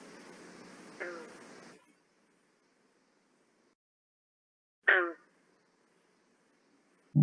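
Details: A green frog in the Rouge River Watershed gives single abrupt twanging notes, like a plucked loose banjo string, spaced seconds apart and calling back and forth without much chorus, during the breeding season from May to July.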